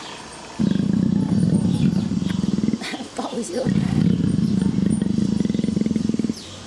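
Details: A female leopard in heat purrs in a deep, rapid, rumbling throb, showing affection to her keepers while having her back scratched.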